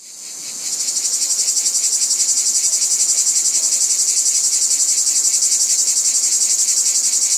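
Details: Cicadas singing: a dense, shrill buzzing chorus that fades in over the first second, then holds steady with a rapid, even pulsing of about four beats per second. No other sounds.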